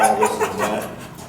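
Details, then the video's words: Dog with kennel anxiety, confined in a kennel and salivating under stress, gives a brief high whine: a few short tonal notes with rising harmonics, ending as the sound fades into background noise. "Dog Psychology 101: Stopping Kennel Anxiety With Prong Collar, Whining/Salivation/Biting Kennel Bars"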